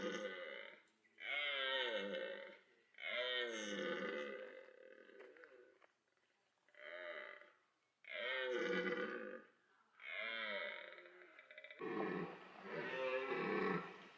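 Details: Red deer in autumn rut at Parc Sainte-Croix, where stags pursued a female, mated and fought, the roar drawing females; seven loud, harsh, harmonic bellows of one to two seconds each, separated by short pauses.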